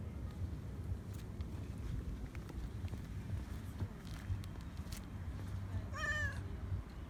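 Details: Affectionate calico cat on an embankment, asking for attention and food, utters a single brief meow near the end, partly masked by constant low outdoor rumble and scattered clicks.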